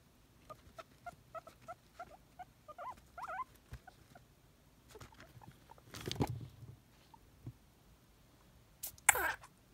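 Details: Pet guinea pig Nimbus wheeking excitedly in hope of a celery treat, with another guinea pig, Bacchus, nearby: a run of short squeaky calls, each a quick whistled rise, then a couple of louder rustling bursts.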